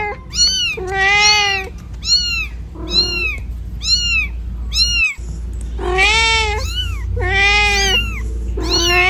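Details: Cat calling out on a road as it looks for its kitten, giving a run of short arched meows alternating with longer strained, drawn-out cries over a constant low background hum.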